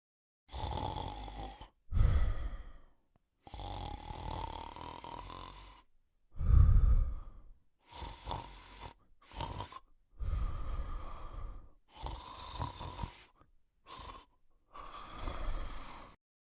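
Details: A sleeping male Cocker Spaniel snores in rough, breathy rasps, each lasting a second or so.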